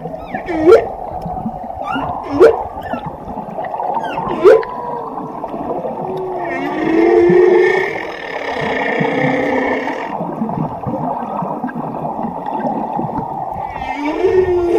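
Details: Whale with three quick upswept cries early on, then a long wavering harmonic moan and a low droning tone, all over continuous rumbling water noise, closing with another upsweep.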